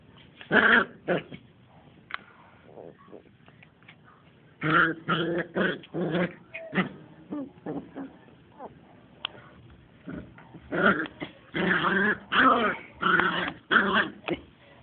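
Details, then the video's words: Smooth Fox Terrier puppies, two months old, playing together: scattered growls and whiny yips, quiet stretches in the middle, then a dense run of rapid growling bursts near the end. "2 Months Smooth Fox terriers Playing"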